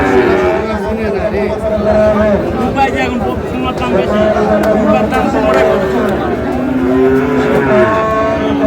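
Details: Sahiwal bull calves at a cattle market in Mymensingh, Bangladesh, in May; several drawn-out moos rise and fall through a noisy crowd, with constant chatter and talking close by.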